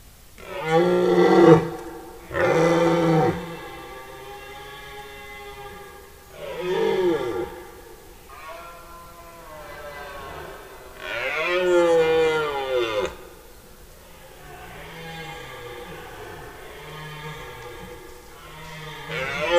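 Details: Red deer stags in a forest at the peak of the September 2018 rut, roaring day and night: a series of deep, throaty, harmonic roars, some rising and falling, repeated every few seconds with pauses between.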